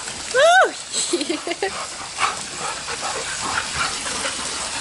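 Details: Labrador retrievers and a husky-akita mix play in a pool at a boarding home in Granada Hills, California. One dog gives a single loud whine that rises and then falls, followed by faint murmuring voices and water noise.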